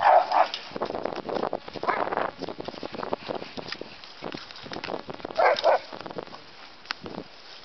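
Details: Terrier mix and bulldog learning to play, the pack teaching rules of engagement: short, harsh bark-like bursts open the clip and return near the end, with scuffling and rustling noise from the play between them.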